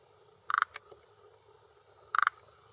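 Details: Forest green tree frog male croaking from a hillside pond shore, Japan, early June 2021 around 18:10, territorial and mate-attracting call: two brief clicking bursts of about four rapid pulses each, over a second apart, with faint background hiss.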